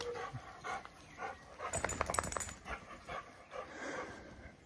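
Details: Labrador Retriever puppy, eight weeks old, named Toffee, brought home and meeting Fudge, a four-year-old chocolate Labrador, for the first time; short whimpering and panting sounds with scattered soft yelps, quiet room background.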